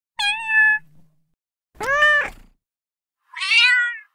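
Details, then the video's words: Three distinct kitten meows, each under a second long and separated by pauses; the first is steady and even, the second broader and louder, the last higher and wavering, with no other sounds. "Kittens Meowing | Kitten Sound To Attract Cats"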